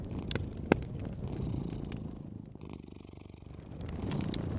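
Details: A cat purrs by a fireplace, a low, steady, pulsing rumble that shows most clearly midway, mixed with sharp crackles and pops from the fire.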